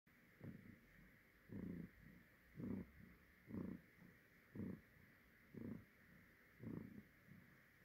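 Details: A pet cat's rare audible purr, soft and low, pulsing in rhythmic throbs about once a second with quieter rumbles between.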